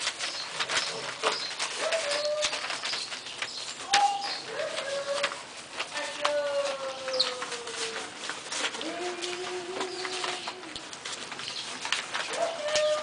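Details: French Bulldog puppies at a kennel give thin, high whimpering whines, sliding and wavering in short repeated bursts, with quiet human chatter and a woman's voice in the background.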